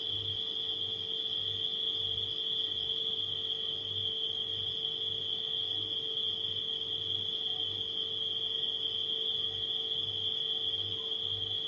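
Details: Nighttime crickets trill steadily at a single high pitch with no gaps, accompanied by a refrigerator's low hum that beats in repeated pulses.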